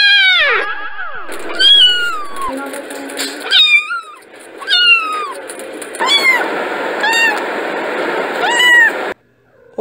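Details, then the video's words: Kittens meowing in a rapid series of high, arching, tonal mews that rise and fall, some short and sharp, others drawn out, with brief pauses between bursts and a faint background hum. "Gatinhos Miando - Som de Gato"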